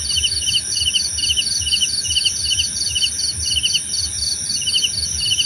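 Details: Crickets chirping in a dense chorus: short bursts of rapid pulsed chirps repeat several times a second at two interleaved pitches, over a steady, very high continuous trill. Faint low rumble underneath.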